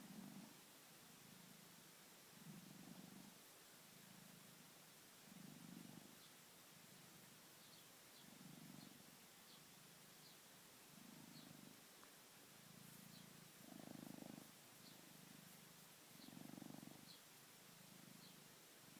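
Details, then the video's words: Sleeping pet cat Louis purring and snoring, a deep rumble swelling and fading in regular breaths roughly every one and a half seconds, about a dozen cycles, with faint high ticking sounds in the background. "Snoring and purring cat"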